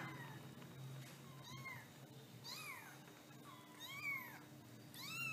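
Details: Kittens mewing repeatedly, thin arched meows rising then falling, about one every second, some overlapping, over a low constant hum.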